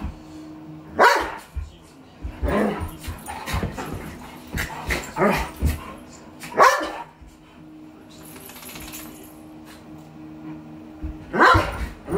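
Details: Miniature pinscher and big Doberman pinscher playing together, with short barks and growly yaps coming in bursts every second or two, then a pause before one final bark.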